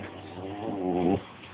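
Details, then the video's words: Dog giving a single wavering, tonal whine-like vocalization lasting about half a second, rising slightly then cutting off abruptly, recorded indoors with a low steady hum behind it. "My dog says what?"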